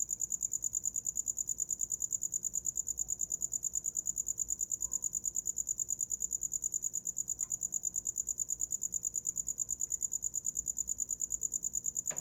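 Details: Cricket chirping at night, a steady high-pitched pulsing trill repeating rapidly and evenly throughout, with faint low background rumble and a brief click near the end.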